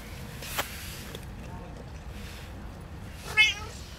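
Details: Female stray cat waiting by the roadside for someone to give her food in the rain: one short, high meow near the end over a steady wet hiss, with a faint knock earlier.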